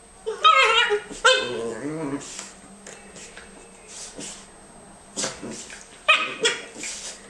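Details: Norfolk terrier female playing with her best friend Jackson, another dog; loud harmonic yips and whiny play growls in bursts near the start, then scattered short yelps and rustling with a steady faint background hum.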